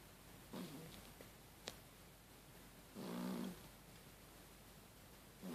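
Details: A cat asleep and snoring in a humanlike way, giving faint low rasping breaths, one short and one longer, plus a sharp click in between.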